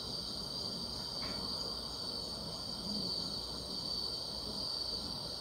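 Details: On a summer night, grass insects keep up a constant high-pitched trilling drone, steady in loudness, with a brief faint higher chirp early on and a low murmur of background noise.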